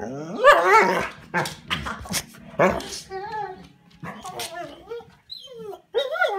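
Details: Bernese Mountain Dog left indoors at a cabin, complaining because it wants to join a walk; drawn-out, wavering yowls and moaning 'talking' sounds with rising and falling pitch, several in quick succession, in a small room.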